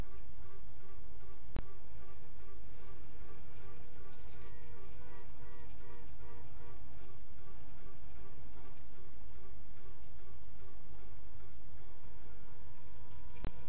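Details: Western honey bee (Apis mellifera) queens piping at midnight on 27 June 2016: short, pulsed, nasal tooting and quacking notes repeat over the deep drone of the hive.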